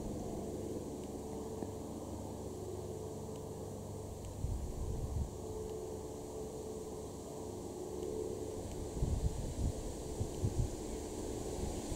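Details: Only a steady low rumble of wind and distant traffic, with a few soft thumps; no animal voices are heard.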